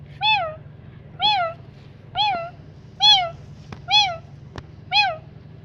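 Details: Kittens responding to meowing: six clear, high, bent meows spaced about a second apart, with faint clicks between them and a low steady hum beneath.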